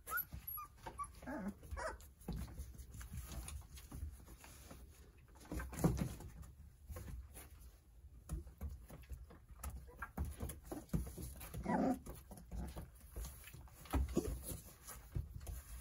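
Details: Nine Jindo puppies playing and toddling about under the care of their mother, Sarangi; thin high whimpers come near the start and again around twelve seconds, over steady shuffling and pattering of small paws.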